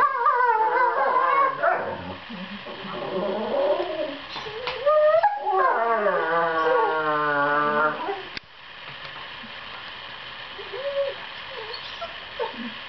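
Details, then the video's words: Seven-month-old borzoi pups Velikij Pravda and Velikij Petrova duet in play-fighting, sweet noises offsetting evil faces; wavering moans and a long quavering howl for about eight seconds, then quieter with a few faint whimpers. "Velikij borzoi puppy duet"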